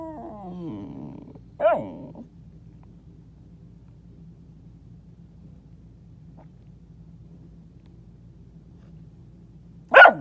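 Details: Pet dog talking from under a bed: a falling, harmonic whine-like groan at the start, a short bark near two seconds, long quiet stretch with low steady hum, then a sharp bark at the end.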